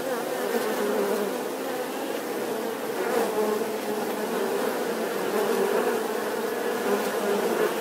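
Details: Continuous humming of bees, a constant low droning tone with many overtones and small flickers of individual wingbeats rising and fading throughout.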